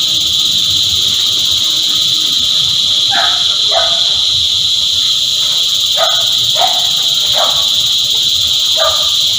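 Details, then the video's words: Many cicadas sing together in a dense, continuous shrill hum, while short sharp calls break through in small clusters over the steady wall of sound. "Energizing Cicada Choir"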